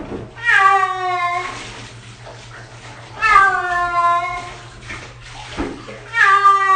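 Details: Six-year-old cat indoors during its first bath, giving three loud, drawn-out wailing meows about three seconds apart, each a harmonic-rich cry that slides slightly downward, over a steady low hum with faint background noise between calls.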